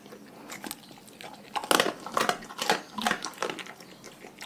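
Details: Raw-fed dogs crunching their food, dense rapid bites about twice a second, loud cracking snaps mixed with moist chewing throughout.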